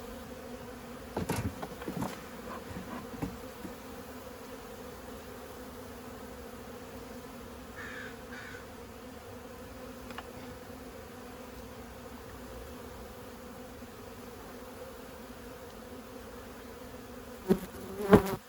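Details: Low continuous hum of honey bees during removal of a 15-year-old beehive from a house, broken by sharp knocks and bangs of work near the start and end.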